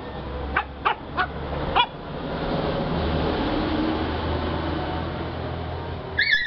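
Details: A 4-month-old male Lhasa Apso puppy from the Batangas area gives a few short, high yips, then a thin yelping whine near the end.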